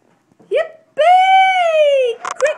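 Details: Female Brussels Griffon singing along with her owner and getting excited: a short rising yelp, then a clear sustained howl that rises slightly and sags over about a second, followed by brief rough bursts and another yelp.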